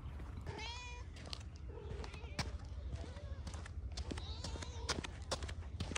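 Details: Kitten that spotted a large plate of chicken and fish while running and pounced on it, giving several short, high, wavering mews in separate bursts over a steady low rumble, with clicking eating noises and background voices.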